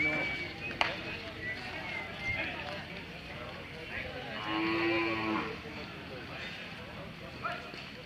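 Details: Hallikar cattle at the Sunday Jodugatte cattle fair market in Turuvekere taluk, Tumkur district, Karnataka: a single drawn-out, harmonic-rich moo near the middle, with people chatting and general fair bustle around it.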